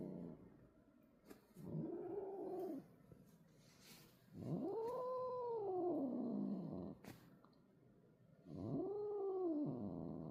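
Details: Angry older sister cat yowling at a kitten, a rescued stray: three long, drawn-out moaning wails, each rising then falling, the middle one longest at about two and a half seconds, separated by pauses.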